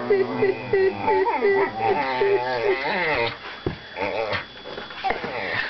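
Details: Pair of young whippets play-wrestling with their mouths, opening with a rapid run of short yipping growls, then longer wavering grumbles and snorts.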